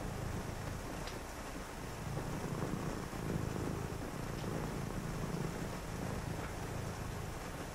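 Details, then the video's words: On a rainy night, a cat purrs in low, even rumbling pulses, partly masked by steady rain and a faint background rumble. "a purring cat"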